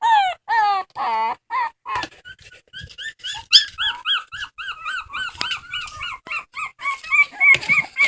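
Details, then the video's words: A dog cries, starting with several long wavering wails, then shifting into a quick, uneven patter of short high yelps and whimpers that tighten toward the end. "Funny dogs crying"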